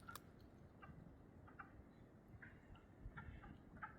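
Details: Wood frogs in spring thaw woodland with willows give short, hoarse, duck-like clucks in a loose mating chorus, still calling despite a person approaching; spring peepers also heard nearby.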